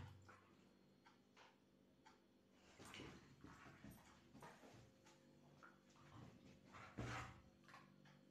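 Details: A female German Shepherd, playing and being naughty with her owner, gives short, harsh barks and yips among whimpering sounds, with some background noise.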